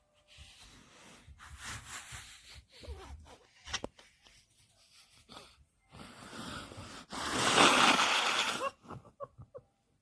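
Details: Kkandori, a sleepy puppy, snores while asleep: soft wheezy breaths with small clicks, then one loud, long raspy snore of about a second and a half, ending in faint ticking sounds.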